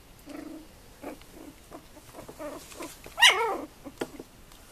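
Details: Tibetan terrier female born 2 November 2015 making repeated thin whimpers and squeaks, building to one sharp, high yelping whine just past three seconds before trailing off into faint clicks and whimpers.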